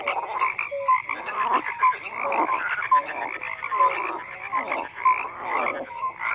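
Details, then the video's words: Frogs croaking in a dense chorus: overlapping rattling croaks swell and fade about once a second, threaded with short clear whistled notes and lower brief tones, with no other sounds. "FROGS CROAKING"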